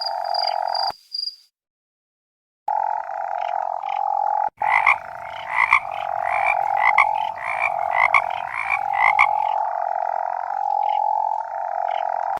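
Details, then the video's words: Toads croaking in a dense chorus, rapid overlapping pulsed calls around four per second with steady tonal notes underneath; a brief silent gap near the start. "coaxar de sapo"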